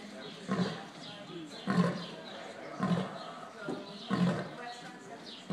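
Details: Lions at a wildlife sanctuary giving a series of deep, low grunting calls, one about every 1.2 seconds, each a short throaty burst, with people speaking Spanish in the background.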